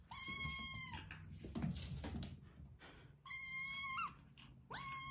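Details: Domestic cat meowing indoors: three long, flat, steady meows near the start, middle and end, each about a second, separated by rustling and handling noises.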